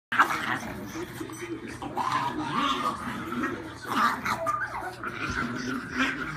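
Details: Pugs at play, a very young visiting pug stirring up two old pugs, give rough, grumbling growls and snorty bursts in uneven runs, with a person talking over them throughout.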